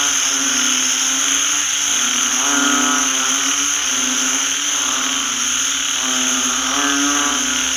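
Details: A post-rain chorus of banded bullfrogs in a paddy field. Layered nasal croaks rise in irregular waves, several callers overlapping, while a constant piercing high hum runs underneath throughout.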